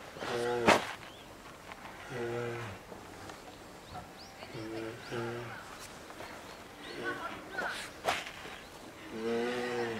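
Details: Lila, a two-year-old female polar bear cub at Maruyama Zoo, Sapporo, Hokkaido, caged with her mother Lara in January, keeps calling to be nursed: short harmonic, moaning bawls at irregular intervals, with clicks and knocks between them.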